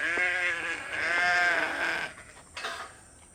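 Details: On a farm, a sheep gives a loud, wavering bleat, a quavering 'baa' lasting about two seconds, as the sheep come running on hearing the food buckets at feeding time.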